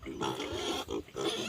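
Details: Wild boar from Phu Phan, a sow kept as the only breeding female, giving three rough, broadband grunting bursts in quick succession, each roughly a third of a second long.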